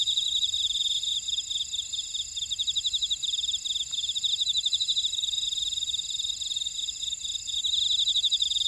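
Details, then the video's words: Insects chorusing in a buckwheat field at Ora-dong, Jeju City, Jeju Island, South Korea: dense high-pitched chirping in rapid pulsed trills, several callers overlapping steadily with faint higher buzzing above, no other sounds. "제주 메밀밭의 풀벌레 소리 (Sound of a buckwheat field)"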